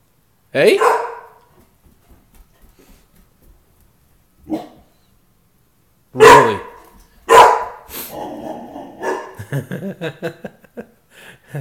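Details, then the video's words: Protective house dog giving a few scattered loud barks among quiet stretches, with a person talking to it and rustling movement toward the end. "Tukoma our protector"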